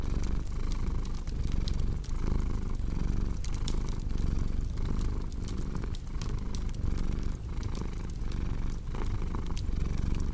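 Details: Continuous low cat purr, rising and falling with each breath about every three-quarters of a second, accompanied by frequent crisp crackles and snaps from a burning fireplace.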